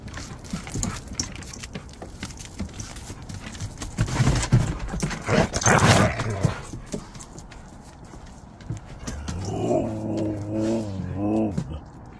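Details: Rowdy Siberian Huskies howling as dad gets home, a wavering vocal howl near the end after noisy shuffling, thumps and clattering, with a person exclaiming nearby.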